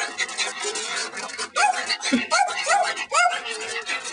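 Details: Tilly, a female pet dog, struggling to catch a praying mantis she badly wants, on 11/3/06: short rising-and-falling whiny yelps repeated about twice a second, with people talking and laughing nearby.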